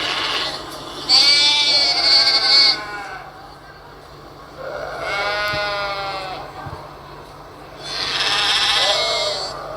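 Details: Sheep bleating, played back as a recording in a children's animal-sound guessing game during an online Sunday school service; three long wavering, quavering bleats, each lasting one to two seconds, separated by short pauses, over a faint background hum.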